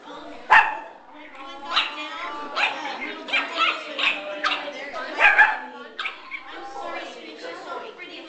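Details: A puppy at its first puppy social hour, giving a few short yips and barks over steady human chatter and talking voices throughout.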